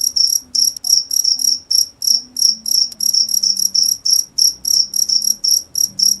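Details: Cricket chirping steadily, short pulsed chirps repeated about three times per second, each a bright high trill with a strong overtone, some chirps doubled; faint low hum underneath.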